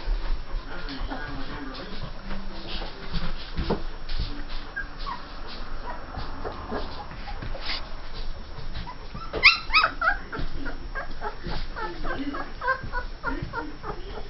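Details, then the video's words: Two-and-a-half-week-old Saint Bernard pups from Justice & Liberty's June 18, 2011 litter whimper. A cluster of rising, squealing yelps comes in the second half over soft background murmur and shuffling. "Saint Bernard puppies 2 1/2 weeks old"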